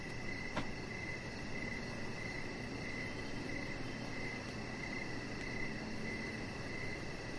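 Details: Crickets chirping outside on a deck in the evening, where a Chihuahua puppy named Rocket lies. Short pulsed chirps repeat steadily over a dense, low rumbling background hiss, with one brief click near the start.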